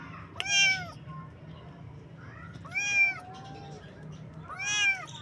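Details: Kitten meowing three times, about every two seconds, each call an arched, nasal mew that rises then falls, with a constant low hum underneath.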